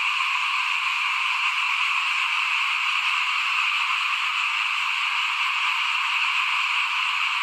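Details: Frog chorus recorded at a house front at rice-sowing time in 2021: constant, dense high trilling from numerous callers, steady in loudness and pitch from start to finish.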